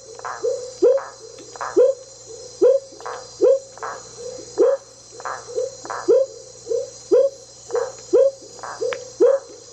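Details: Smoky jungle frog (Leptodactylus pentadactylus) calling on the bank of an intermittent tributary of the Teles Pires River, Jacareacanga, far south of Pará, Brazil: short, hollow, upward-sweeping whoops, about two per second, steady and loud, over a faint high hiss.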